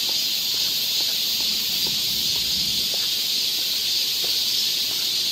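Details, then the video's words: Summer cicada chorus in a Seoul forest, Korea, forms a continuous shrill buzzing wall of sound that holds even in loudness, with a few soft ticking sounds underneath. "cicada sound"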